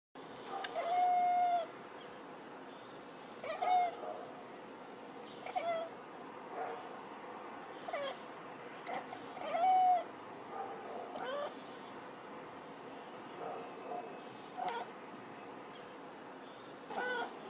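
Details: Cat meowing in a funny compilation of cats talking like a human: several short tonal meows, some with rising-falling harmonics, spaced a few seconds apart over a steady background hum.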